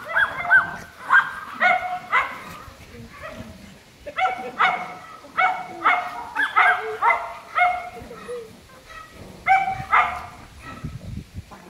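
Golden Retriever puppies give a run of short, high, squeaky yips and whines.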